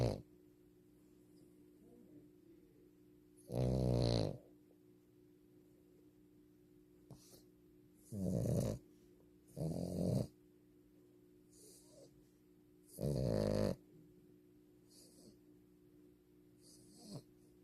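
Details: French Bulldog snoring while asleep; four loud rasping snores, each about half a second to a second long, come at irregular gaps of several seconds, with a steady low hum in the background.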